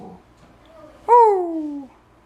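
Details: Indoors, an eleven-week-old Husky puppy answers a command to speak with one clear yowl, jumping up sharply, then sliding steadily downward for under a second, after faint human speech.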